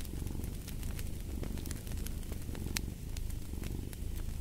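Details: Domestic cat purring in a deep, even rumble that rises and falls with each breath, while a fireplace crackles with bright, sharp pops in the background.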